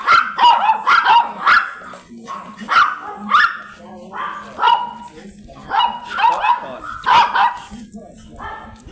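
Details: Rapid, piercing barks from a blue Miniature Pinscher stud dog in Manaoag, Pangasinan, come in uneven clusters of two or three, with a short lull midway. A faint steady hum runs underneath.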